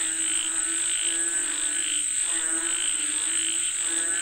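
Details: Chorus of frogs said to call for rain, with rhythmic croaks pulsing through the recording against a constant shrill insect drone.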